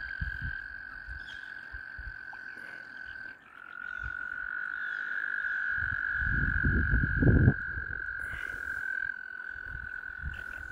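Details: A continuous high frog trill drones steadily from mating frogs surrounding a kayak, briefly dipping near the fourth second, with heavy low-pitched rumbling and splashing in the middle of the clip.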